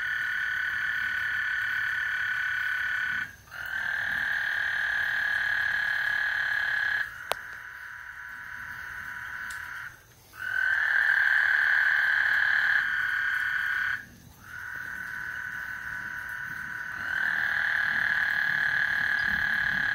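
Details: Before a thunderstorm at Lake Houston, frogs keep up a long buzzing chorus in bursts of several seconds separated by short pauses, with a couple of sharp clicks and a low rumble beneath.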